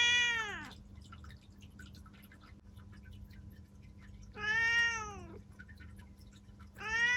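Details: Seven-year-old black female house cat in Japan meows loudly indoors; long arched, harmonic meows about four seconds apart, the middle one falling at the end, over a steady low hum.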